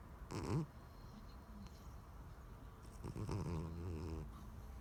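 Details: Pet cat Daisy snoring, giving two low rattling breaths, a short sharp one early and a longer wavering, harmonic drone later, separated by a quiet indoor pause.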